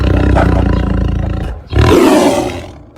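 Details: A tiger gives a deep, rumbling, explosive, bone-shaking roar in two bursts with a short break between them.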